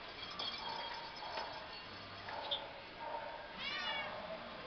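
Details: Domestic Shorthair cat available for adoption at a shelter, giving one brief, faint, wavering meow near the end over a steady background hum and low indoor noise.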